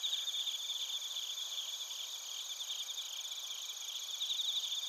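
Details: Chorus of bell crickets and crickets recorded in Narita, Chiba Prefecture, Japan, with a TASCAM Portacapture X8. Many overlapping shrill chirps and fast pulsing trills fill the whole stretch.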